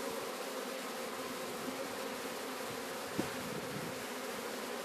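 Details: Sicilian honey bee swarm during capture near Sciacca, a dense continuous buzzing drone with layered low humming tones, unbroken throughout, one sharp click partway.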